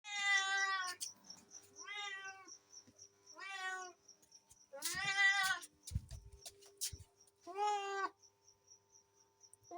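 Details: Cats and kittens meowing: five clear, tonal meows, some rising then falling, spaced a second or two apart, with a steady faint high-pitched pulsing tone and a few soft clicks behind.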